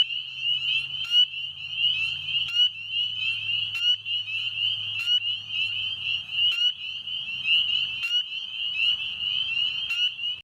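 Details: Dense chorus of spring peepers calling at a pond on a mid-May night as weather warms, height of their breeding season, American toads also calling in the background: countless high, piercing peeps overlapping into a continuous shrill ring.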